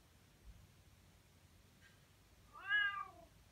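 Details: A Bengal cat meows loudly for attention, usually its way of asking for food, giving a single drawn-out meow that rises then falls in pitch.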